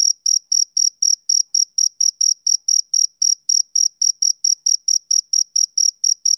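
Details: Continuous male cricket chirping, some twenty-seven high, clean pulses in just over six seconds, slightly uneven spacing, nothing else audible.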